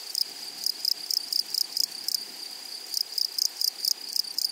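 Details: Grasshoppers in a flowery meadow give bursts of dry, high, rasping pulses in quick trains, each burst a fraction of a second long. A steady high ringing insect tone continues underneath throughout.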